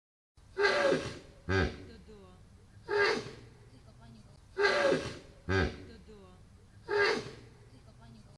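A hippopotamus gives loud, breathy snorts, each a long blast followed by a shorter one.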